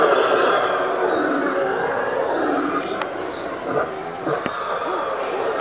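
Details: Howler monkey (Alouatta) at a municipal zoo in Sorocaba, São Paulo, Brazil, recorded 23 November 2017, gives a deep, continuous roaring drone that rolls on without a break.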